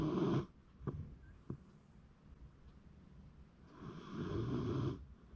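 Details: ['January 2024 recording of a sleeping Shiba Inu: a rough snore fades out, two soft clicks follow, then a longer buzzing, throaty snore of about a second.']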